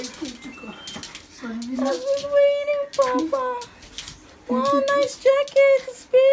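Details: Malshi Poodle welcoming home its owner, giving a run of drawn-out, tonal, howl-like whines and yelps that rise and fall in short bursts, with brief gaps between them, indoors in a small room.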